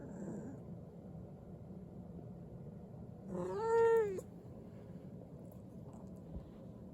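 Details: White cat named Yuki, posing like a short-legged Munchkin, gives one brief rising-then-falling meow lasting under a second over a quiet indoor background.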